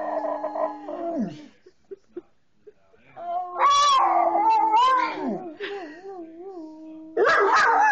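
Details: Coonhound baying along with a person howling, trying to imitate the human. Long drawn, wavering howls slide down at their ends, a steady low tone under a higher, warbling voice, with short gaps and faint clicks between phrases.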